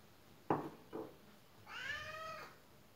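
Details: Pet cat indoors that knows commands: two short soft sounds, then a single drawn-out harmonic meow lasting about a second, with quiet room tone.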